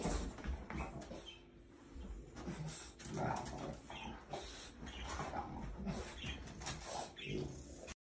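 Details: A French Bulldog that is afraid of an orange gives short, gruff barks mixed with snorting grunts and whimpers.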